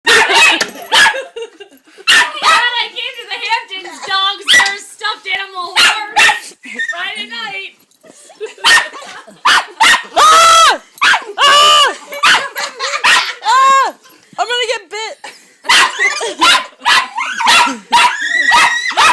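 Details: Dogs playing with a large stuffed horse at a summer rental in Hampton, giving a rapid series of sharp barks mixed with high, arching whines and yips, with short pauses between bursts.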